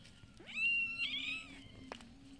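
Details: Street cats fed every day, heard around mealtime: one loud drawn-out meow that rises, holds steady, then slides upward, followed by a short sharp chirp, over a faint low background hum.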